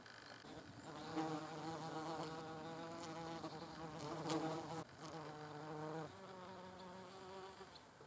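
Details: Wasps eating mirabelle plums, their steady humming buzz overlapping throughout and swelling around four seconds. A few faint clicks sound in the background, and the pitch shifts slightly after a brief break near five seconds.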